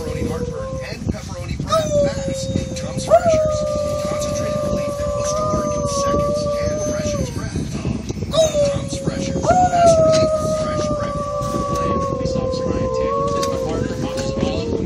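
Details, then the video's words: Poodle howling in two long drawn-out bouts, each a steady sustained tone held several seconds with a short rise at the start and a falling end, over constant background chatter and noise. "The howling poodle"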